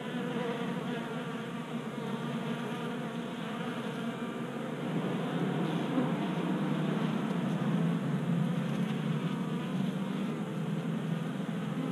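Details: Honey bees at a tabletop 3D printed feeder in a Colorado garage during a warm January spell. A thick, low, continuous buzz of many wings rises slightly in loudness halfway through, with a deeper rumbling undertone.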